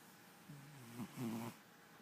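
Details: Bandit, a pet cat, snoring while asleep indoors: two soft, low, droning breaths, the second louder and slightly wavering, with quiet room hush between them.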